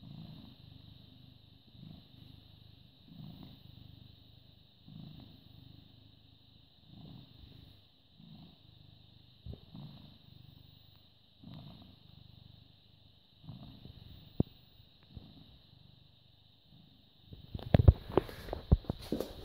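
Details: British Shorthair cat (born 18.08.2010) purring, filmed 14.05.2017 at 09:16; soft low purr rising and falling in even breath cycles about once a second, a few clicks, then loud rustling handling noise at the end.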